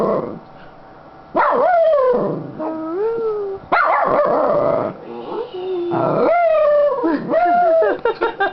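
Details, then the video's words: Happy female Schnauzer sitting on a lap produces a chatty run of wavering howls and yips, some long and sliding, some short and level, with barely a pause, recorded at very close range. "Sounds of a happy Schnauzer"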